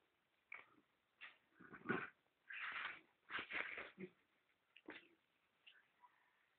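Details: Adonis, a pet dog, at play, giving a run of short, harsh, whining and growling bursts with rough harmonics, about eight in six seconds, some in close pairs, with quiet gaps between them.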